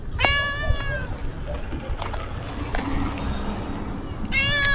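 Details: Friendly cat met outdoors. A clear, bright, falling meow lasts about a second at the start, and a second similar meow comes near the end, over steady low background rumble.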